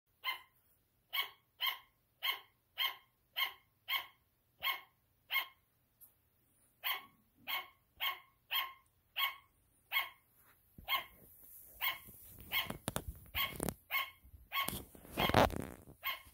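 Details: Sugar glider barking: short, sharp, yapping barks repeated steadily about twice a second for ten seconds, then continuing under loud rustling and handling noise, with a brief pause around six seconds.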